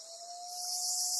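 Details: Black cicada caught by a golden-web spider on Amami Oshima, Japan: a dense, high hissing buzz swells in loudness over a second, with a steady low whistling tone running beneath it.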